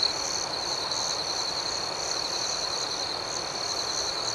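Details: Nighttime cricket chorus: even, high-pitched continuous trilling with softly throbbing pulses layered on top. The texture stays level from start to finish, without louder bursts or other animals.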